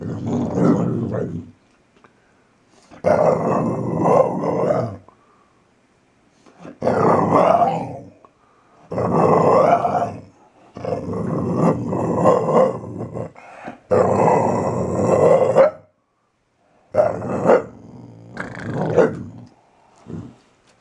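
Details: Playful growling and snarling from a gentle male Valley Bulldog just over three years old, grabbing during a morning play session beside his owner indoors. Harsh, low, broadband growls come in about eight bouts of one to three seconds, separated by short pauses.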